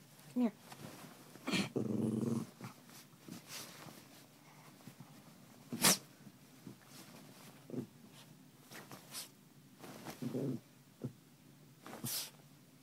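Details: Pet dog Memzy in a playful mood after waking its owner, giving short low grumbling growls, one longer burst early and another brief one later, amid sharp knocks and rustling.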